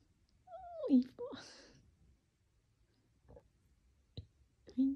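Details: Pet cat giving a short, sliding meow that dips then rises, followed by a second chirpy call; faint clicks and a closing meow fragment in a quiet small room.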